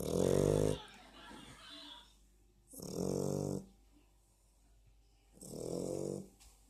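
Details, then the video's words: Sleeping dog snores steadily: three rough, rumbling inhalations, each under a second, coming about every two and a half to three seconds, with a low hum and near silence between breaths. "Собака храпит"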